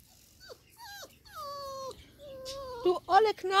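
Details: Five-week-old Labrador Retriever puppies exploring a garden; drawn-out descending whines, then a quick burst of squeaky yips, with a woman's voice nearby.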